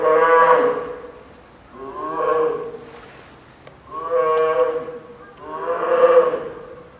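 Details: Polar bear Lila, a female cub born 21 December 2014, wails at Maruyama Zoo in Sapporo, Hokkaido, around 11 a.m. on a typhoon-lashed 2 October 2015; four moaning, harmonic cries that rise and fade every couple of seconds.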